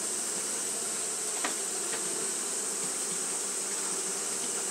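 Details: Japanese honey bees fan nonstop in hot weather, producing a continuous whirring hum over high steady hiss, with a couple of brief clicks or taps in the first half.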